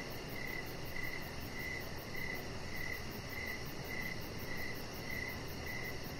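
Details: Crickets chirp at dusk around a deck lit with decoration lights, where the chihuahua puppy Rocket relaxes; crisp high pulses repeat almost twice a second over a continuous low background drone.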